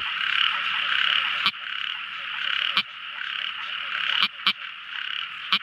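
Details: Night frog chorus: a steady, high, buzzing drone of many small frogs, broken by a few sharp, isolated clicks.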